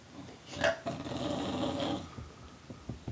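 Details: Tulip, a pet bulldog, indoors, gives a short throaty growl that swells into a rough, rumbling snarl lasting over a second, then trails into soft snuffling breaths.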